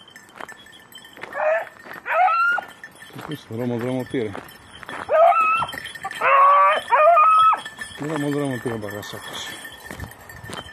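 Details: Red-blue tick and lemon-white beagles working hares in practice on Crete, Greece, 2022, give bursts of high, wavering yelps and bays in several separate runs, mixed with a man's voice and faint tinkling bells.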